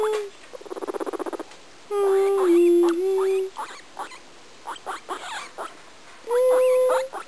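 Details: Pet guinea pig's singing: a quick buzzy pulse train, then a long wavering whistled tone with stuttering chirps, scattered short chirps, and a final rising steady whistle.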